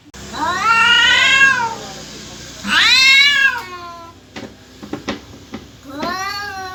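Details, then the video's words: Loud cat caterwauls, from a cat either seeking a mate or ready to fight: three harsh, high, drawn-out wails a couple of seconds apart, with sharp knocks and clatter between them. "KUCING MINTA KAWIN APA MAU BERANTEM...?"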